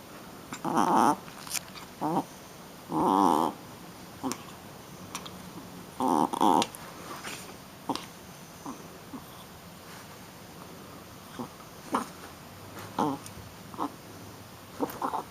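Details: Shih Tzu puppy, a young female, in rough play, producing bursts of squeaky, growling whines in clusters with quiet gaps between, plus scattered sharp taps and scuffles from movement.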